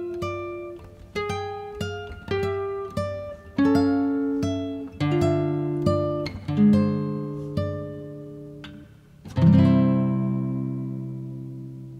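Plucked acoustic guitar notes and strummed chords ring out, with no animal voice present.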